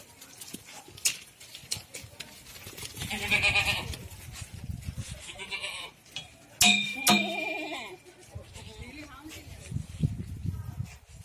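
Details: Goats bleat in wavering, nasal cries amid farmyard clatter and human voices at a goat farm in Ajmer, Rajasthan, India.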